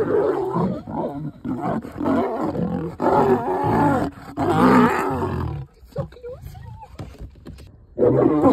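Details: Lioness rebuffing a male lion's mating advance beside a road in Nairobi National Park, Kenya; rough, rasping snarls in rapid bursts, a quieter gap, then another loud burst at the end.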